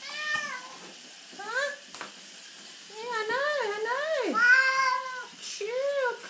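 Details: Female domestic cat being bathed after rolling in dirt, protesting dramatically: a run of drawn-out, wavering meows that rise and fall, some long and bending sharply down, with a woman talking and water sounds.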